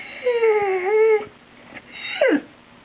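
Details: Rosie, a pet dog indoors who wants to go outside, gives a falling tonal whine followed by a shorter, steeply descending whimper after a pause.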